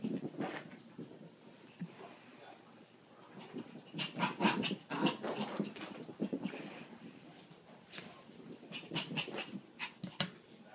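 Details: Excited little puppy Bear indoors, rapid irregular panting and breathy huffs mixed with small whimpers and growly bursts, the activity swelling in the middle and again near the end.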